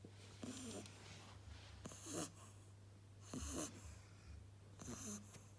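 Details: Sleeping Beagle puppy snoring softly, with raspy, breathy bursts roughly every one and a half seconds over a steady low electrical hum.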